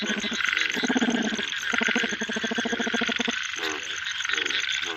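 A male bullfrog gives loud, rapidly pulsed, nasal croaks in repeated bursts over steady rain.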